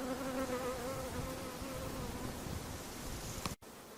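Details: Mosquito whine: a wavering, buzzy hum with layered overtones over background hiss, strongest at the start and weakening gradually, then cut off abruptly shortly before the end.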